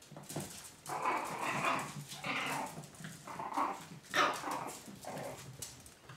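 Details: Chihuahua puppies from a 2012 litter give short, whiny, high squeals and yelps in bursts of about half a second to a second, coming every second or so, recorded indoors.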